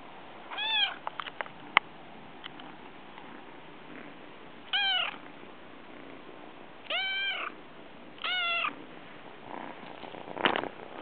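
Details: A brown Munchkin kitten wanting affection approaches, giving high, clear meows, each arching up and falling away, spaced a few seconds apart.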